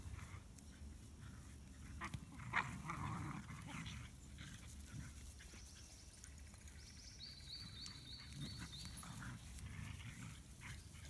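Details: Three dogs in a tug-of-war game over a stick toy, giving continuous low throaty growls with a sharp thump near the start and faint high squeaking tones in the second half.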